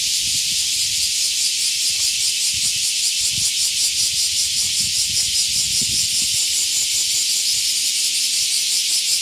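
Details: Summer-morning cicada chorus heard on a dog walk, a loud steady shrill hiss with a fast pulsing texture, plus soft low rustles and footsteps.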